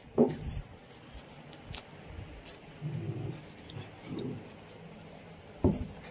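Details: Indian Spitz dog giving two short, sharp barks about five seconds apart, with softer rustling and handling noises between them.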